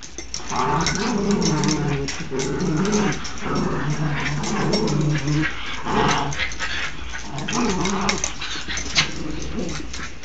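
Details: Dogs wrestling in play give continuous deep, throaty growls that rise and fall in rolling waves, with snarly bursts every couple of seconds and scuffling underneath throughout.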